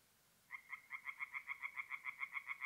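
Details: A single tree frog at a forest pond by night in April, north-east Italy, begins after half a second of quiet, giving a steady series of short bright croaks about five per second against faint background hiss.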